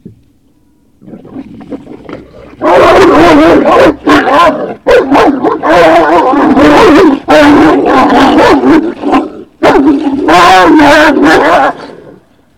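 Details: Great Dane puppies at Puppy Hill on the evening of 19 February 2019, giving loud, drawn-out, wavering whines and yowls in long overlapping bursts lasting one to two seconds, with short breaks between them.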